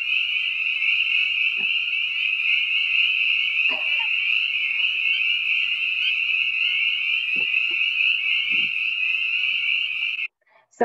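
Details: Chorus of many spring peepers played back in a talk on woodland vernal pools, the typical early-spring pond sound of wetlands in Lincoln: a dense, continuous high shrill of overlapping peeps, steady for ten seconds, then cut off with a click.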